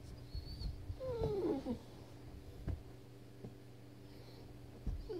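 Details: Frustrated Weimaraner stuck under a bed for thirty minutes lets out a single short descending whine, sliding down in pitch, followed by quiet room tone with a few soft knocks and scrapes.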